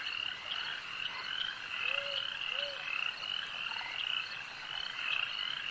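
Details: Frogs calling at a lake: a dense, unbroken chorus of rapid, rattling trills, with two brief low whistled notes near the middle.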